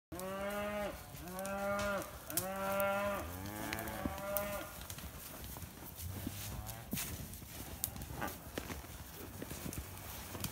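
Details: Red Poll cattle in the woods lowing in a run of about five short, rich, nasal moos over the first four and a half seconds, each rising then falling, followed by rustling, twig snaps and footsteps in the undergrowth.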